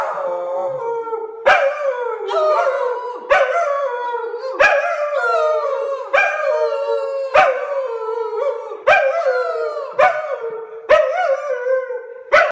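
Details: A dog 'singing' in long, wavering howls that hold a steady mid pitch with rich overtones, sliding gently up and down. Sharp clicks break in about every one and a half seconds throughout.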